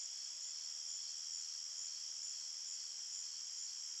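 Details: Forest crickets chirping at night: a steady high trilling chorus with the topmost voice pulsing about twice per second over the continuous ring.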